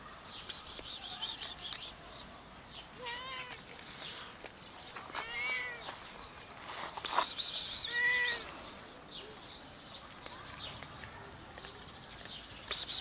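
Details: Homeless cats, four strays found nearby and drawn out by food: several arched, harmonic meows rise and fall around three, five and eight seconds, over background bird chirping and scattered clicks and rustling.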